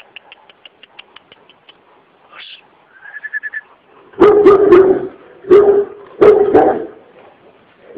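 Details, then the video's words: Sub Zero, a very aggressive Kurdish Kangal dog wanting to attack, barks loudly and deeply in a run of bursts from the middle onward, after faint rapid high chirps and a brief whistle-like tone at the start. "Aggressive Kurdish Kangal Dog"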